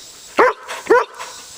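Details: Two short, sharp barks about half a second apart from a male full-bred Collie, a pet jumping on command during a counted training session at home.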